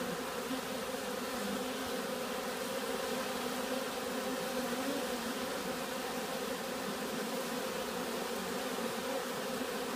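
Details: Loud, even drone of many buzzing bees, maybe robbing or stirred by some other disturbance, with overlapping humming tones that barely vary in loudness throughout.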